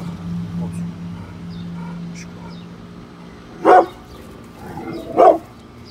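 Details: Bullet, a brindle Pit Bull protecting his home from construction workers working outside, gives two sharp barks about a second and a half apart over a low steady hum.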